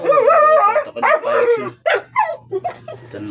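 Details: Five-month-old male Aspin dog at bath time, bathed alongside an older dog and a dachshund puppy: loud, high, wavering whines slide up and down, then break into short sharp yips and yelps that fade toward the end.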